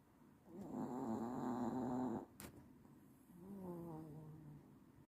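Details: A sleeping dog snores in long, rough, throaty breaths, one drawn-out snore over about two seconds, a sharp click, then a softer wavering snore after a pause, indoors.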